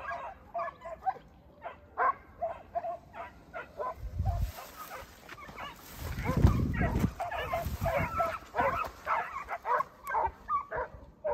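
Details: Segugio Italiano hounds, two puppies aged 8 and 17 months together with their father Geko, give rapid, uneven barks and yelps about two to three per second, with a few deeper low thumps in the middle.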